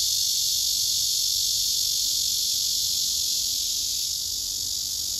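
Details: Male cicada singing a serenade to court a female resting below him, who backs away; a dense, unbroken high-pitched buzz holds steady at an even loudness throughout, with a thinner shrill band above it.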